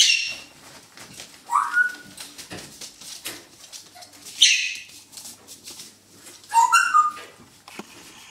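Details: Young poodle puppies in a puppy pen play with a stuffed toy, giving short, high whines and yelps that rise and fall among rustling scuffles.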